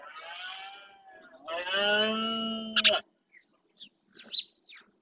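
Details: Red deer stags roaring during the rut in the Doñana National Park marsh, Spain, to claim territory: a fainter groan, then a long, deep, harmonic roar lasting over a second, followed by short high chirps and clicks.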